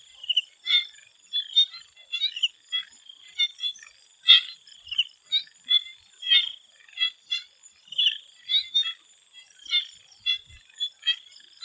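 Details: Chorus of swamp frogs before sunset in Thailand, bursts of quick clicks and short nasal calls from several frogs roughly every half second, over a continuous high hiss.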